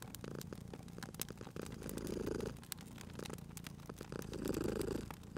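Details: Soft, low purr of a cat by a fireplace, rising and falling in roughly two-second breaths, overlaid with bright irregular crackles and snaps from the fire.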